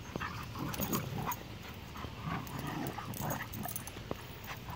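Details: Two dogs playing roughly in a yard: Athena, an 8-month-old female bullmastiff, and Cooper, a 3-year-old Rottweiler and American pit bull terrier mix. Low rumbling growls, whines and scuffling noises run through steady broadband outdoor noise.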